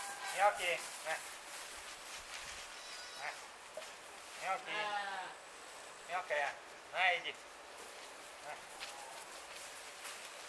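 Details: Six-month-old Romanov lamb raised on artificial feeding, on a farm where the flock lies near the hay barn in warm 26-degree weather; several quavering bleats, each about half a second long, over a background of quiet speech.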